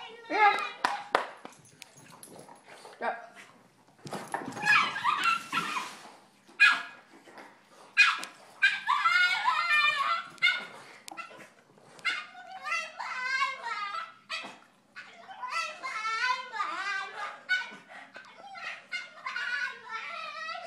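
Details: Female Boston Terrier demanding her turn to play instead of the other Boston: a person talking over bursts of noise, then a run of warbling, wavering whines and yowls that sound like talking.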